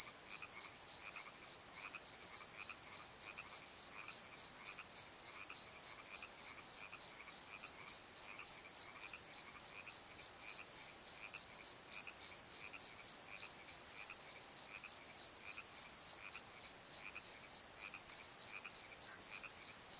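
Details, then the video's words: Crickets calling at night in a valley bottom near Pozo: a steady high pulsed chirping, bursts repeating several times a second without pause, with a fainter, softer chirp from another caller beneath. "Crickets and Croaks! Pozo Night Tree"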